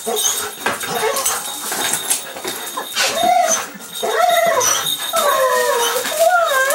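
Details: Golden Retriever and terrier mix greeting returning owners indoors; wavering, sliding whines and moans come in bursts, rising and dipping, amid loud human voices and household noise.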